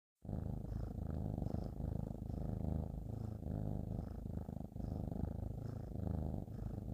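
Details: A cat purrs steadily on a bed, a low continuous rumble pulsing with each breath.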